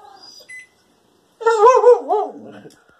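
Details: A dog lets out a drawn-out, wavering bark that rises and falls, angrily demanding his spaghetti.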